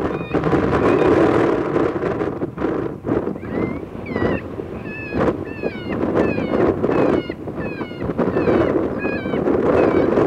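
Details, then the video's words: Coyotes recorded January 23, 2020, giving a busy chorus of short, high, wavering yips and bent whines, many overlapping and repeated several times per second, over steady rushing wind noise. "koon coyote 01-23-20"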